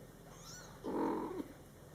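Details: Two-week-old male kitten, still unnamed, eyes just opened and beginning to explore with his mother nearby; a single short, rounded meow of about half a second, steady then slightly falling, over a low constant background hum.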